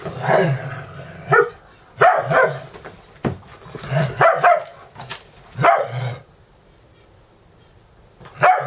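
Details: Dexter and Mister, two dogs in a morning wrestling match while Ecco and Cricket watch, at a dog-boarding home in Valley Village, California, 10-11-17; about eight rough growling and barking bursts come in quick clusters with short pauses.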